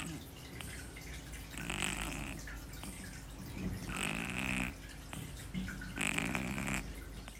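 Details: Kitten named Shii-chan fast asleep, snoring loudly; rough, breathy snores repeat about every two seconds, each a broad hissing burst, over a steady low hum.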